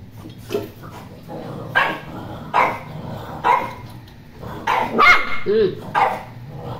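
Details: Poodle barking in a short series of sharp barks, some closely doubled, mixed with human voices talking nearby throughout.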